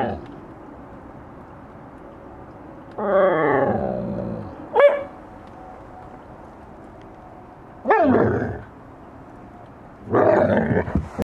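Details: Siberian huskies playing and eating snow, filmed on a Fuji XT2 camera; drawn-out wavering yowls slide downward, with three separate bouts and a sharp click between the first two.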